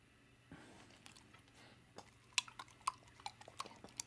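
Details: Dawg, a female American Staffordshire and American Bulldog mix, eats her favourite peanut butter as an evening snack indoors; soft wet lip and tongue smacks and clicks come in irregular bursts, growing sharper toward the end.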